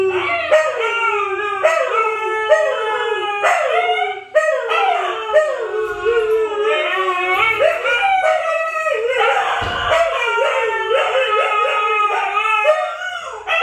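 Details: Several Siberian Huskies howling together, with overlapping wavering howls of different pitches rising and falling continuously, forming a dense, layered chorus with no pauses.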